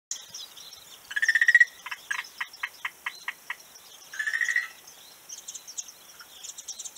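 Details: Frog calling on a beach, recorded 11 March 2017: pulsed croaks near mid pitch, one rapid buzzy burst, then a string of about eight separate clicks, and another buzzy burst, with faint high chirps above.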